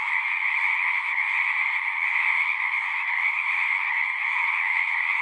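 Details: Singing frogs fill the air with a seamless, pulsing trill, a higher shrill layer over a lower one, never dropping out, without wind, water or human sounds.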